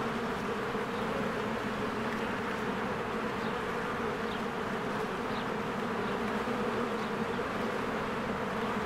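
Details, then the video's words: Spring beehive with many honeybees flying in and out, a thick continuous droning buzz holding steady in pitch, and scattered faint bird notes in the background. "1 Hour of a Beehive ASMR"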